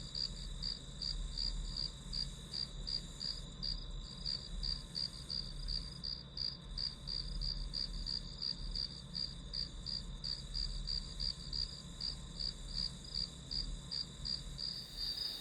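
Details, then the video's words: Grass insects providing white-noise ambience for studying: rapid high chirps at about three per second ride on a steady shrill tone, with a muffled low background and a brief rustle at the very end. "풀벌레 소리"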